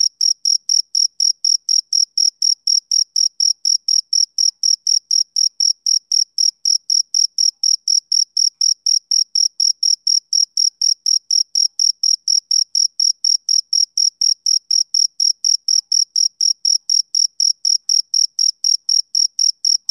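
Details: Male cricket chirping on a summer evening: high, clean chirps repeated steadily about three times a second in an unbroken even rhythm for the whole stretch, with no other sounds.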